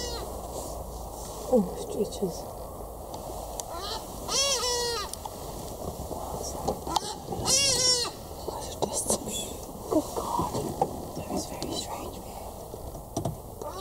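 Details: Female black-backed jackal in South Africa, March 2016, showing strange behaviour in front of a car on a drive; two loud drawn-out wavering cries with rich harmonics around four and eight seconds, low murmured voices and vehicle hum between.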